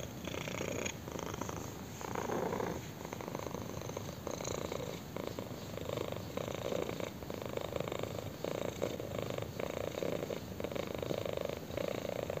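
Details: Kitten purring while its chin is scratched, long even rumbling purr with rhythmic breathing cycles, the vibration holding a constant low drone across the whole stretch.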